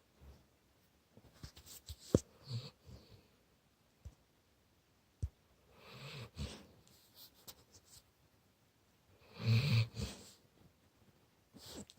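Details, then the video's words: Labrador Retriever puppy asleep indoors, lying with its face close to a resting person, snoring in low, rough, irregular bursts, with three stronger snorts spread over several seconds, scattered clicks and soft rustling between. "Snoring puppy"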